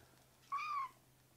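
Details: A young rescued kitten in foster care gives a single short, clear meow lasting about a third of a second, steady then slightly falling at the end, in an otherwise quiet room with a faint low hum.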